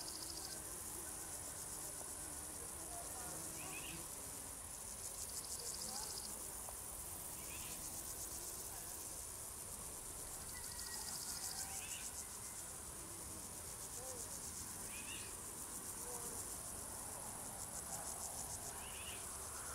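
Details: A continuous, high, pulsing cricket trill from singing crickets that swells slightly at times, while brief chirping notes from another animal repeat every few seconds underneath.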